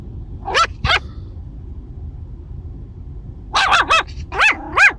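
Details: Maltese puppy Heather, a seven-week-old female, gives two sharp high yips, then after a pause a quick burst of three rising-falling barks and two more bright yappy barks, over a low steady rumble.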